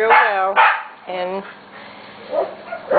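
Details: Corgi puppies almost seven weeks old, from two litters: drawn-out tonal whines and yelps that fall in pitch, each under a second, with quieter yips between them.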